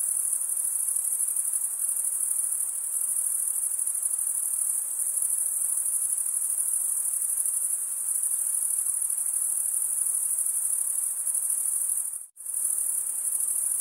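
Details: Male crickets stridulate by scraping a comb-like wing vein with the other wing. They give an unbroken piercing high trill that cuts out for a split second near the end, then resumes unchanged.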